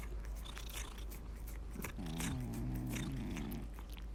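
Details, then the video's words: Sleeping cat gives one drawn-out, low buzzing snore of about a second and a half, layered with faint clicks and a constant background hum. "고양이 코골이 소리"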